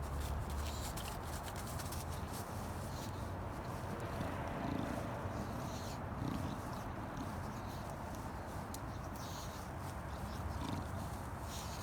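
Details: A female English Bulldog spins and rolls on the ground, grunting and snorting steadily in low, rough, pig-like noises.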